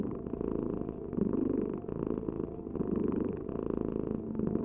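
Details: Close, rumbling cat purr, a buzzy low vibration rising and falling with slow breaths.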